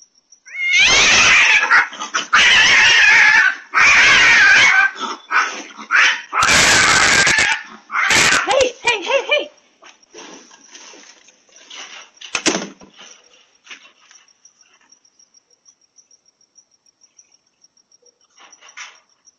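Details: Domestic cat Seb fights a feral cat that ambushed it in a backyard one morning, caught on a Ring camera. Loud, harsh screeching and yowling bursts fill the first ten seconds, then fade into quieter scuffles over a steady high insect-like whine.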